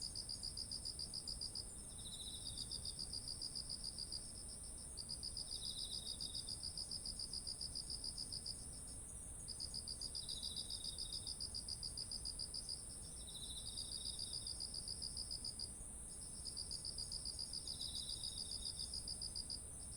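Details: Autumn insects by ripe rice paddies: long trains of quick, high pulsed chirps broken by brief gaps, short softer trills roughly every four seconds, a steady piercing drone overhead, light low background rumble.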